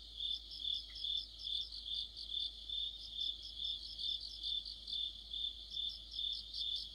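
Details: Mid-autumn crickets and fellow insects form a shrill, unbroken trill, topped by pulsing chirps that throb in a steady rhythm a little over twice a second. A small faint click sounds near the start.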